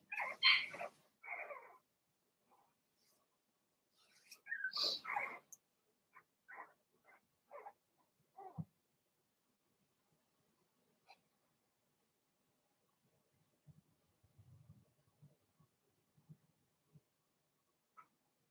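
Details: Blenheim Cavalier King Charles Spaniel puppies from a litter of six in an indoor puppy pen: loud broadband yelps open and recur near five seconds, then a run of short high barks, followed by faint scattered low rustles.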